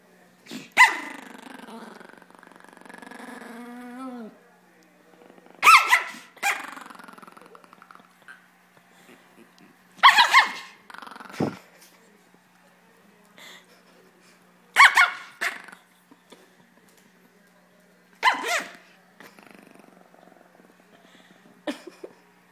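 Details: Small dog under a blanket that dislikes being touched, a long low growl rising into sharp barks, then five more loud barks spaced several seconds apart, with quiet growling between them.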